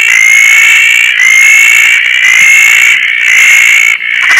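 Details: Roth's tree frogs calling at night in Koah after rain, one of two riding the breeze on a tarp among many frogs; a dense, steady, high ringing chorus pulses in roughly one-second swells without pause.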